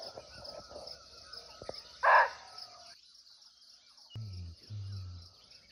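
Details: Barking deer (muntjac) calling unseen from nearby in a natural forest in Nepal: one short, loud, harsh bark stands out over a steady high insect drone, with faint low rumbles afterwards.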